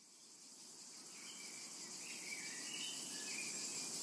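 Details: Cicadas calling in a tranquil summer meadow: a steady, high, hissing buzz that swells gradually, with faint thin bird chirps underneath.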